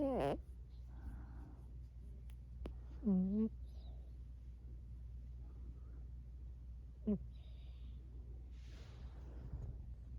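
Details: A female Burmese cat makes little noises in her sleep: a few brief, squeaky, falling mews over a steady low hum.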